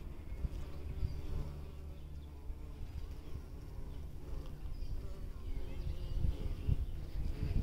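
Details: Bumblebees in spring, a low steady droning hum with a few louder buzzing passes toward the end.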